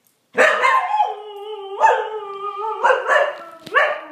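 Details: Playful Siberian Husky trying to play with a cat, making a continuous wavering, talkative howl with rising and falling pitch and a few sharper bark-like onsets.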